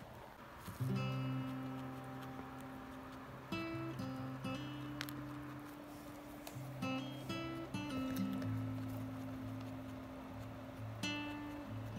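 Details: Acoustic guitar strums with sustained plucked notes and occasional light knocks; no animal sounds.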